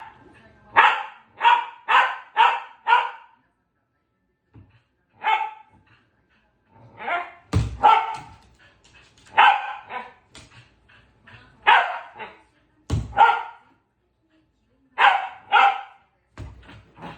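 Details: Pembroke Welsh Corgi barking while playing with a ball, tail wagging: a quick run of five sharp, bright barks, then single and paired barks spaced a second or two apart over the rest of the recording, with no other sounds.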